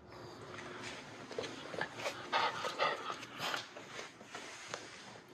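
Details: Two white Miniature Schnauzer brothers, Levi and Lucky, feisty and reenergized right after haircuts, chasing and play fighting indoors in Aroostook County, Maine, August 8, 2021; soft, short whines and huffs come in irregular quick bursts at low volume.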